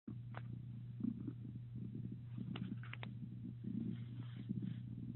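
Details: Orlaith, a cat, purring: a steady low rumbling drone throughout, with soft rhythmic pulses and a few brief faint higher clicks and rustles.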